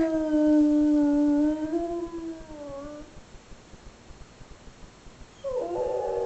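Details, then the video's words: Pet dog howling indoors in response to a phone left ringing: a long sustained howl, level and then gently falling, wavering downward near its end, then after a quiet pause a new, higher-pitched howl begins. "Howling Dog"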